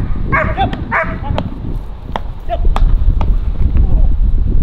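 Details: Kraftwerk K9 German Shepherd tested for stress resilience and nerve strength gives a quick run of loud, rough barks at the start, then scattered single barks over heavy low-pitched rumble and wind-like noise.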